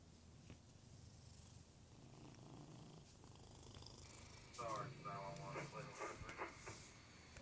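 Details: Domestic cat making loud noises indoors: low rumbling purr through the first half, then a loud harmonic meow-like cry near the middle followed by several shorter wavering calls, with faint handling noise.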